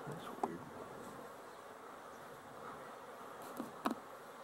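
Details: Busy honey bees at a hive, recorded 12-11-23: a steady, dense droning hum of many wings at once, low and even throughout, with a few brief clicks and knocks from handling near the start and end.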